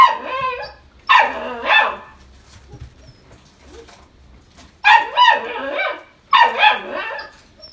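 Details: ['Blue-and-white female Italian Greyhound born 21 July 2019, in a pet shop, barking in two pairs of shrill yelps separated by a few seconds of near quiet.']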